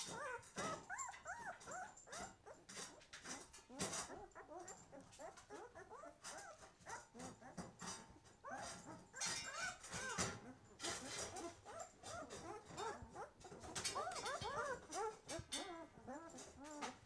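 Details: A litter of White Swiss Shepherd puppies, twelve days old and just opening their eyes, keeps up dense overlapping whimpers and squeaks, many small arched cries at once, mixed with frequent scratchy rustling clicks.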